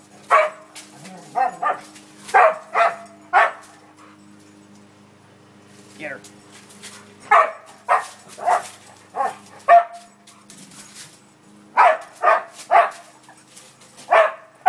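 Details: Dog barking while playing, short sharp barks in irregular bursts of two to four, with pauses between; a faint steady hum runs underneath.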